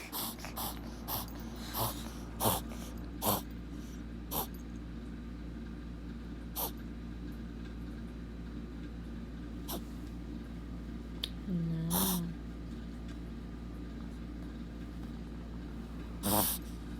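A Shih Tzu reverse sneezes with harsh, snorting inhalations in short irregular bursts.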